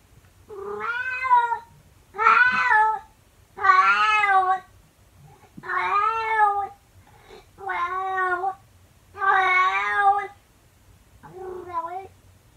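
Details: Domestic calico cat howling early in the morning at the door: seven long, loud, wavering harmonic yowls in quick succession, each about a second long, the last one shorter and softer, in a quiet indoor room.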